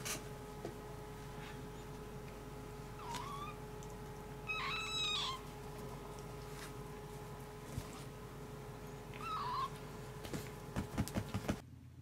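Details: Domestic cats indoors at home, where Maroshiro, a male cat, nurses and raises foster kittens. Three high, rising-falling meows with bright harmonics, a short one, a longer drawn-out one, then another after a pause, followed by soft knocks and thumps from the room.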